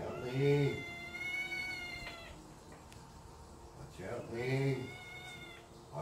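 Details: Tabby cats cuddling each other give two prolonged, wavering meows about four seconds apart, each around two seconds long and slightly falling at the close, with a low human voice beneath and a faint start of another meow at the end.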